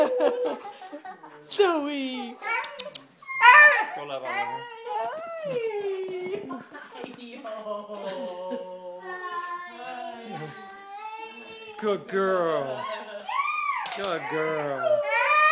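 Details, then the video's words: Zoe, a female Siberian Husky kept as a family pet, vocalizes excitedly as her owners come home from a trip. Bursts of sliding, wavering whines and howl-like yodels are broken by short gaps. People can be heard in the room at times. "Zoe the Happy Husky"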